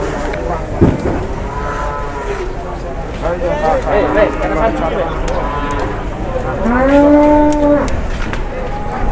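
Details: A jumbo cow, mildly rampaging at a market in Indonesia, gives low grumbling moos through the middle, then one long, strong, steady moo near the end, with faint human voices and a sharp knock early on.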